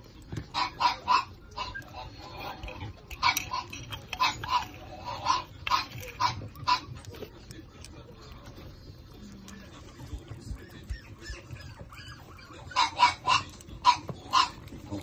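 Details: In a litter of small Shih Tzu puppies, two males and two females, short squeaky yelps come in bursts. Clusters sound at the start and around the middle, then a quieter stretch with faint rustling, then another rapid run of yips at the end.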